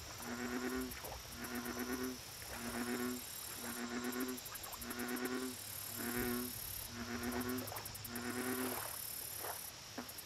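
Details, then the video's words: Series of about eight low, droning bullfrog calls at a lake, each a sustained resonant note roughly half a second long, repeated about once a second, over bursts of high buzzy insect pulses and a constant hiss. "Bullfrog Lake Audio Only"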